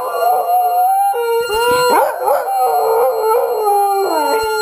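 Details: Seven-year-old Jack Russell / Rat Terrier mix "singing" along with its owner to "Barbara Ann": sustained, wavering mid-pitched howls that slide up and down, with a few sharp yips breaking in.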